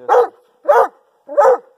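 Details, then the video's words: Pet male Doberman Pinscher measured with a decibel meter at about 24 inches: three loud, full barks in quick succession, one roughly every two-thirds of a second, with clean silence between. "How LOUD is a Doberman Pinschers Bark"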